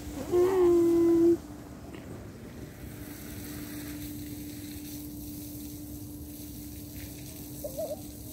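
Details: A cat protesting separation from its owner lets out a single strong, sustained meow of about one second, followed by low background hum and faint distant sounds.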